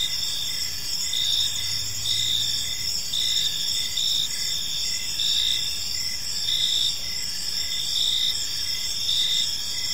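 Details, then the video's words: Park crickets at evening produce a shimmering high chorus, with rhythmic chirps about once a second over a steady trill; a brief low hum appears early on. "Park Serenade: Cricket Sounds in a Peaceful Park | Evening Ambience"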